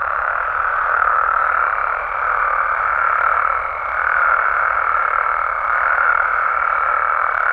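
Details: Mexican frogs and toads at night form a thick, steady trilling chorus, pulsing softly in volume, with a faint high tone threading through its later half.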